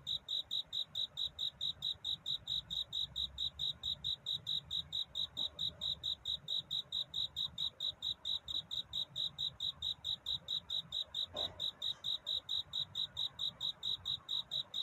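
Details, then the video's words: Courting cricket at night toward dawn, singing to find a mate: clear, tinkling high chirps in a steady train of roughly four per second, one faint tap late on, otherwise quiet. "귀뚜라미 울음소리. 슬퍼 말아요 우는 것이 아니라 사랑을 찾는 노래랍니다 구애의 밤"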